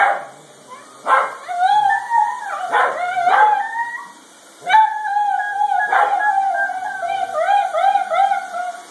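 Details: Italian greyhounds reacting to a vacuum cleaner howl in wavering, overlapping tones punctuated by sharp yips; one dog "sings" while the other is ready to attack.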